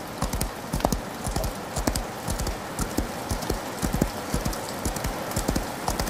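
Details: Rain-soaked gallop of a horse, with repeated clusters of soft, thumping hoofbeats about once a second beneath a continuous wash of falling rain.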